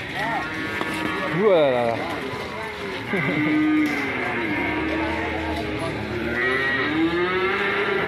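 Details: Fierce cattle raging and alarming their keeper give drawn-out bellowing moos, some sweeping sharply up then down, others holding a steady pitch, one call after another with little pause.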